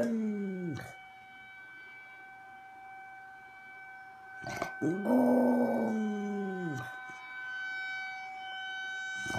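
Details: Whitney, a pet dog, howls at a tornado siren; wavering drawn-out howls swell and fall against the siren's steady high tones, with a thump midway.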